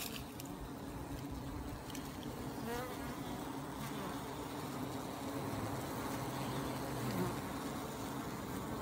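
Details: Many honey bees producing an unbroken low droning buzz, with faint higher whines from individual bees passing close.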